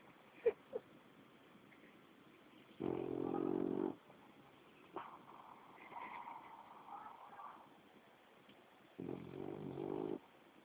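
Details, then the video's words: Sleeping on someone's lap, a seven-month-old French Bulldog gives two low, harsh snoring breaths roughly six seconds apart, each about a second long, with soft rustling and faint higher sounds in between. "Bulldog Frances de 7 meses roncando"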